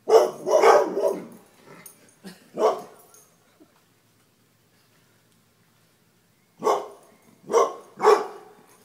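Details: Dogs running from a deer mount: a quick run of loud, rough barks, then near silence for about three seconds, then three more sharp barks in quick succession.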